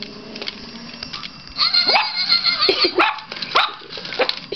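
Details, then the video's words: Yorkshire Terrier puppy barking at a battery-powered robot dog toy she dislikes: a run of sharp high yaps at irregular intervals, about six in three seconds, over faint mechanical clicking. "Cute yorkie does not like robo dog!!"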